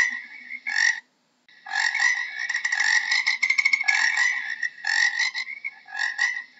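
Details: A frog gives harsh, rapidly pulsed croaks, one short burst, a brief silence, then a longer run of buzzy trills fading into shorter repeated bursts, over a faint low background hum.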